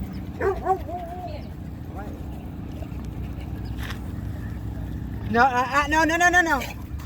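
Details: At a dog park, Zuma the female Cane Corso makes corrections on other dogs. A few short yips open, then a loud, strongly harmonic run of rising and falling yelping barks lasts over a second, over human voices and background hum.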